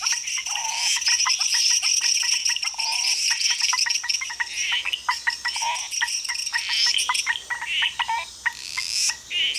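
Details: Chorus of frogs in Costa Rica, rapid clicks and chirps packed closely, overlaid by a loud continuous high-pitched trilling drone from insects.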